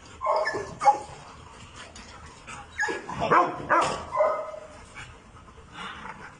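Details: Labrador Retriever in Pakistan barking in short bursts, several tonal yelps between one and four seconds, followed by a fainter bark near the end, with steady background noise throughout.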